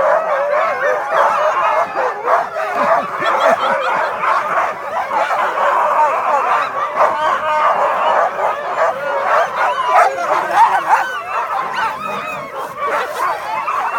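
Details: Pack of Siberian Huskies at an Inari husky safari giving a loud massed chorus of yelps, yips and wavering howls, constant overlapping voices throughout.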